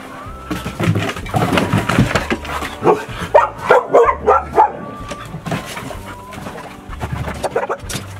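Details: Funny the dog keeps up a chase despite a heatwave warning, giving a quick run of about six sharp, evenly spaced barks in the middle, with scattered yaps before and after over light background music.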